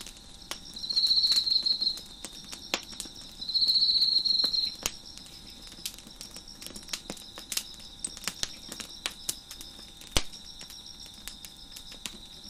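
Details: Crickets chirping at night behind a crackling fire on a deck: two high, buzzy pulsed trills, each about a second long, with sharp pops and snaps of burning wood throughout.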